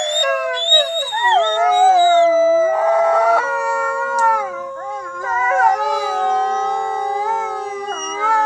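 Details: Wolves howling in long, smooth, sustained tones with strong harmonics. The voices glide gently up and down and overlap, with brief breaks in the drawn-out notes throughout.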